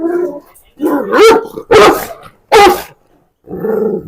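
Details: A dog described as the world's biggest, kept in a kennel, gives three deep, harsh barks in quick succession after a softer opening sound, with a brief pause before a final lower bark.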